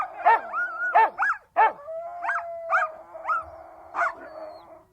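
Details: Siberian Huskies giving a mix of loud barks and swooping, yodel-like howled notes, with a long steady tonal howl carrying through the middle and barks repeating roughly every second.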